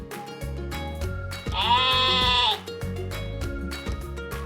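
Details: Sheep giving a single wavering, nasal bleat lasting about a second, set against steady background music that plays before and after the call.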